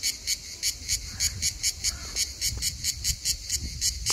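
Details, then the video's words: In summer on Skiathos, Greece, a Hellenic cicada sings in rapid, high, buzzy pulses, about three every second; these cicadas sing almost all day long. "Cicada (Tree cricket equivalent, Skiathos, Greece)"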